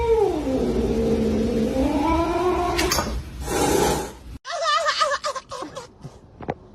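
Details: Pet cat indoors giving a long, drawn-out wavering meow that slides down and back up over about three seconds, then a burst of short warbling, quavering meows, with human voices and background music.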